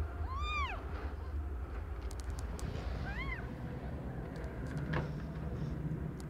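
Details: Domestic cat Aimee, not yet one year old, giving birth to five kittens of differing colours: two arched, harmonic meows near the start, the first longer and rising then falling, over a steady low rumble and faint clicks.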